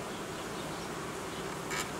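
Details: Buzzing of a honey bee colony during reorganisation, new frames being pulled from the edge of the hive in cold weather; continuous broad droning hum, one short higher rustle or scrape near the end.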